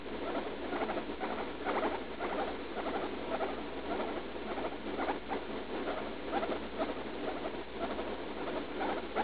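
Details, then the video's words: Female guinea pig Leslie, about three years old, straining in pain while pooping after a leaf-lettuce treat, a daily recurring episode; steady runs of rapid, gritty pulsed squeaks and chattering repeat throughout, close and indoors, no other sounds. "Guinea pig in pain while pooping"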